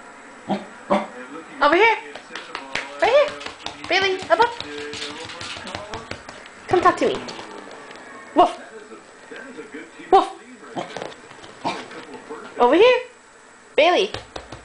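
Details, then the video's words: Bailey the corgi, a pet dog, "talking" indoors: short harmonic barks and yowling vocal bursts answer a person who keeps calling "woof" and coaxing the dog, the two trading sounds back and forth. "Bailey the corgi - Talking"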